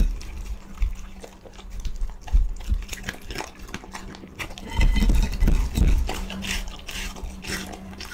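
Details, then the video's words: Pet dog being fed, eating noisily: wet, crunchy chewing and smacking in irregular bursts, heavier and louder midway, with a steady low hum underneath. "Feeding Dog 寵物吃播"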